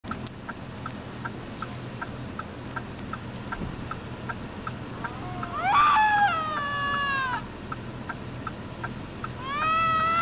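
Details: Bobcat screaming while fighting: after quieter ticking sounds, a loud wavering harmonic scream rises and falls for about two seconds, then another begins near the end.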